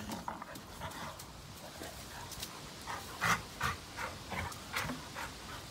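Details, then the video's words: Labrador Retrievers Cash and his son Kaody at play, breathing in fast, breathy pants with a few louder huffs close together in the second half. "Labrador Retrievers Playing"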